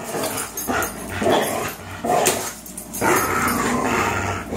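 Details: Tug-of-war play between Fox, a 3-year-old Greyhound, and Miles, a 3-year-old German Shorthaired Pointer: harsh, gravelly growling in irregular bursts roughly every second, with brief barky yips mixed in.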